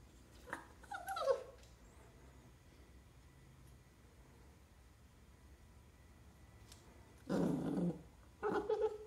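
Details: Four-month-old American Cocker Spaniel puppy indoors, puzzled by a G-scale model train carrying dog food in a gondola car; brief high whines near the start, then a low growly grumble and a short whimper later, quiet room between.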